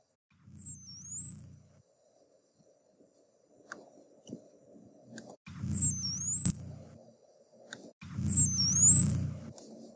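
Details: A dolphin, one of several individual dolphins whose whistles are being compared, gives high, looping whistles that sweep up and down, repeated three times with short pauses.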